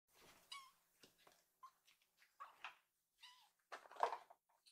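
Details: Rescued baby kitten, full after begging for food, dozing with a contented look indoors on a sofa; a series of short, high, harmonic mews, a few gently falling, scattered across the moment with soft rustling and small knocks between them.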